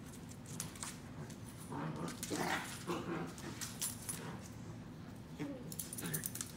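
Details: Indoor play fight between Fuji and Mika, a three-month-old Corgi puppy. Low, steady growling swells in the middle, and jingling collar tags and scrabbling paws cut through the rough-and-tumble.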